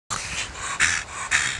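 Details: Donut, a 13-year-old female Staffordshire Bull Terrier cross, breathing in short raspy pants with two louder snorting huffs near the middle and end.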